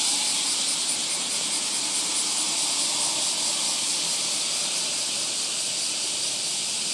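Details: Deafening wild cicadas by a train station in Japan on a summer morning form a dense, steady, high-pitched hissing buzz that fills the air without pause, a loud continuous shimmer with a faint pulsing texture.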